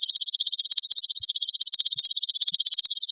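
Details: A golden grasshopper gives a steady, high, rapidly pulsed buzzing trill without a break, used as a tutor sound for songbirds; no other sounds are heard.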